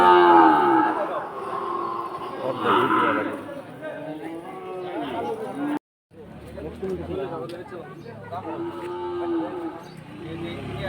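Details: Cattle for sale at the Batajor market in Bhaluka, Mymensingh, Bangladesh, lowing in drawn-out, rising and falling moos over steady crowd chatter, with a brief silent gap midway and music underneath.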